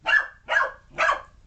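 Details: Alphie, a puppy, chasing a remote control car: three sharp, bright barks spaced about half a second apart, each short and harsh, with nothing else heard.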